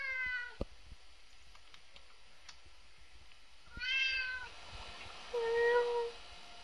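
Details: Binx, a three-year-old red point Siamese cat, meowing indoors while bored: a short falling meow at the start, then two more drawn-out harmonic meows near the end, the last one lower and steadier, with faint clicks between.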